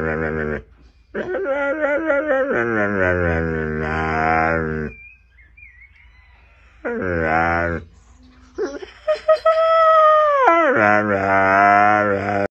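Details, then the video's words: Husky making a sputtering, car-engine-like vocal display: bursts of wavering, harmonic-rich moaning howls that stutter and rise, separated by short pauses, then a long higher-pitched howl that bends upward and settles into a steady moan; background music present. "When the huskymobile refuses to start"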